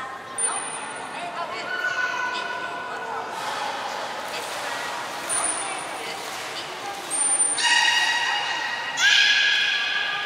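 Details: Belugas in training at Port of Nagoya Public Aquarium on 11 July 2020: softer harmonic calls mix with short, piercing high tones, ending in two louder, layered squeals that rise slightly at their start.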